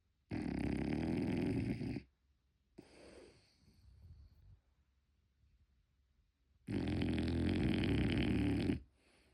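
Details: French Bulldog puppy Motchi snoring in its sleep at home, unedited: two loud, rough, rattling snores about five seconds apart, with a softer breathy exhale between them in a quiet room.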